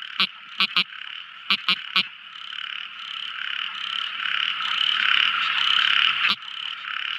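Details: Tiny frog at night: a few quick clicking croaks in groups of two or three early on, then mostly a swelling continuous night chorus with one late click.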